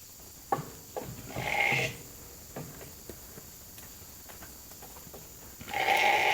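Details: Evening feeding time for a hungry sheep flock called into the holding pen; a strong bleat early on and another loud bleat at the end, with footsteps and knocking between.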